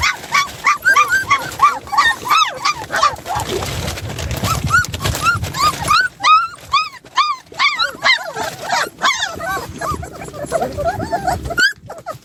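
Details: Young puppies, two breaking out of their play area, keep up a fast stream of high arched whimpers and yips, roughly three a second, briefly quieter midway amid low rumbling noise, then resuming sharply.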